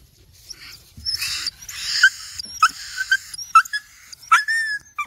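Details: Village dogs playing happily together on a field: breathy, wheezing huffs give way to a run of short, high, sliding whines and yelps, five or six quick bursts over a few seconds against a quiet background.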